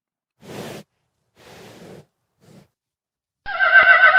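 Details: Horse giving soft, breathy snorts or blows, three short puffs growing fainter, then a sudden loud, shaky whinny breaking in at the end.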